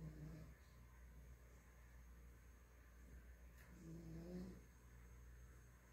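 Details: Sleeping pet Miniature Pinscher named Nina gives two low, grating snoring breaths, one at the start and another about four seconds later, over steady faint indoor hum.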